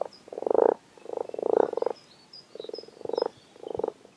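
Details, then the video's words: Frogs arriving in numbers at WWT Castle Espie croak in a chorus of low, pulsed, rattling notes in quick bursts. "Frog Chorus"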